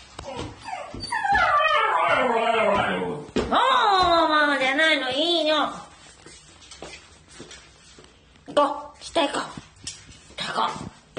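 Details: Shiba Inu named Kuri, dressed in a family member's clothes indoors, waiting for him to come home and seemingly getting angry when he is late: long, arching, harmonic whines and howl-like yowls for about five seconds, then quieter scattered whimpers.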